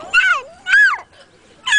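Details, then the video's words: Four-week-old pet kitten in New York, USA, recorded in the afternoon, giving three short, clear mews about half a second apart, each arching up and then sliding down in pitch, with quiet gaps between them. "Baby cat"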